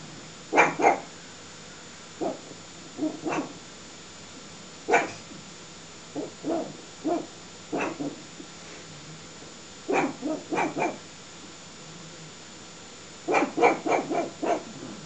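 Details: A pug facing off with a tiger barks in short, sharp bursts, singly and in quick clusters of two to four, separated by pauses of one to three seconds.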